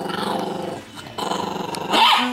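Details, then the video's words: Small four-and-a-half-pound Chihuahua protecting a T-bone and standing off a Doberman, giving a continuous pulsing low growl that briefly dips, resumes, then rises into a snarl at the end. "LEON THE VICIOUS CHIHUAHUA PROTECTS T-BONE, BITES CAMERA, INTIMIDATES DOBERMAN!"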